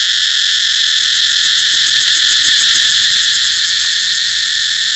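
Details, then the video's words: Cicada singing: a loud, unbroken, shrill buzz that holds steady for the whole stretch, with faint rapid pulsing running through the drone and nothing else clearly audible. "cicada เสียงจั๊กจั่น"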